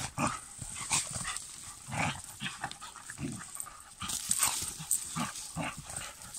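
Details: German Pinschers named Lincoln, Molly, Figa, Queen and Raya, August 2021: short, rough bursts of dog sound come in uneven runs, some close together and some spaced about a second apart, with rustling and background noise between them.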